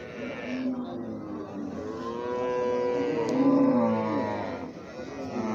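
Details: Baby cows mooing: overlapping drawn-out moos with wavering, slightly falling pitch, several voices blending over about five seconds, with a brief click in the middle.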